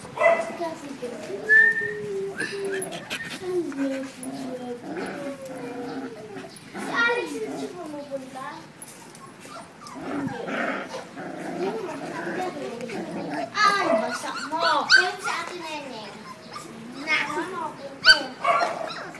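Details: Five-week-old male Labrador Retriever puppies from a first litter: many overlapping high whimpers and squeaky whines throughout, with shuffling noises and occasional human voices in the background.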